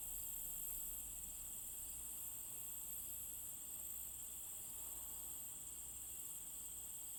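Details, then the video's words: Crickets: a continuous, very high-pitched, shimmering trill holding steady throughout, soft and unbroken, with low background rumble beneath. "Crickets - Sound Effects"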